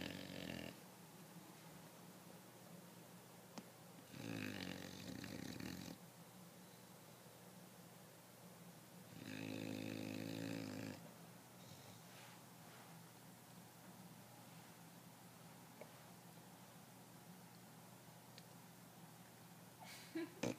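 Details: Sleeping English Bulldog giving a great loud snore, harsh buzzy rattling breaths in bursts roughly every five seconds, with quiet breathing between and a faint knock at the end.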